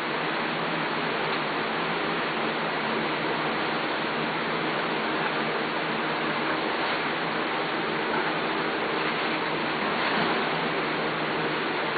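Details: Steady broadband rushing noise like running water or rain fills the whole stretch, with no animal calls present.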